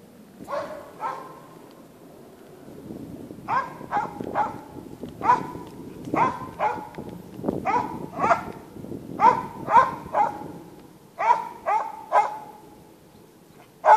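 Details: Norwegian Elkhound bay-barking while hunting in the forest near Sorsele: loud, sharp single barks in uneven bursts, about sixteen in fourteen seconds, some in quick pairs, over a quiet woodland background.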